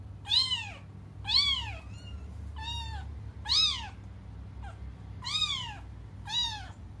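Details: Cats wailing for their absent mother, loud arched meows that swell and drop in pitch, six strong cries and one short faint one spaced about a second apart in a quiet room.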